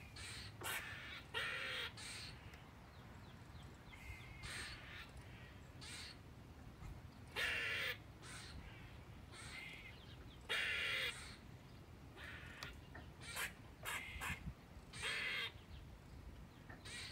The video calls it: Squirrel sounds: Danger! 😳